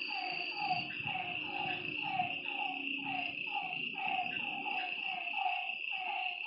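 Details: At night by a lake, frogs repeat brief descending croaks at a steady, quick pace. A high insect hum continues throughout, with soft low rustling in the background.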